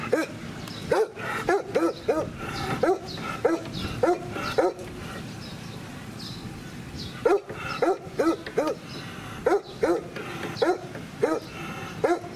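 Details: A 13-year-old former sheepdog at Comorebi no Mori Ibaraido in Ibaraki Prefecture, Japan, recorded 2 June 2018, gives short repeated barks in bursts, pausing midway before another run of barks over steady background murmur.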